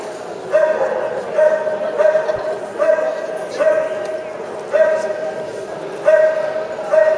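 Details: Soft Coated Wheaten Terrier at the 2011 Soft Coated Wheaten Terrier Club of Great Britain Championship Show, where Marley won the Dog CC; steady, tonal, mid-pitched barks or yelps, about one each second, over hall murmur and a voice.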